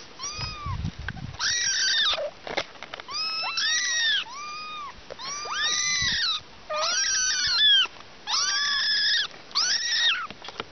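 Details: Several kittens at a picnic crying in quick succession: loud, bright, arching meows with rich overtones, some overlapping, coming in bursts about once a second, with a low rumble near the start.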